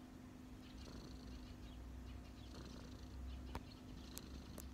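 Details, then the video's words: A relaxed street cat on a person's knees gives a soft, continuous low purr with gentle breathy swells and a couple of faint clicks near the end. "cat’s relax on my knees 🐈‍⬛| cat purring"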